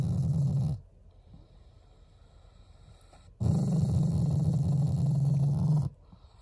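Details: Pet Shiba Inu growling as an affectionate expression toward its owners: two low, throaty rumbles, one short and one longer, lasting about two and a half seconds, with near silence between them.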